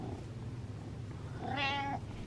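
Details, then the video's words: An attention-seeking meow from Butters the cat: a single short, bright, slightly wavering call over a steady low indoor hum, with a person replying nearby. "Pay Attention Meows"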